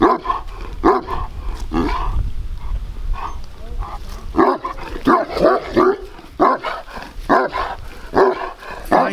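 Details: Bucovina Shepherd Dog, a large dog with a powerful temperament, recorded in 2021: rough, muffled noise at first, then a run of loud, hoarse barks coming quickly and somewhat unevenly in the second half.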